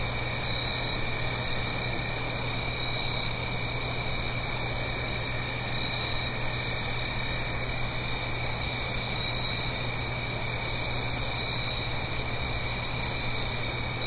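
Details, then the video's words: Crickets on an autumn night in the Blue Ridge Mountains, a stream down the hill: an unchanging high trilling chorus with two brief very high pulsed bursts, over continuous hissing water sound and faint low hum. "Autumn Crickets - 9-Hour Sleep Sound - Fall Cricket Song"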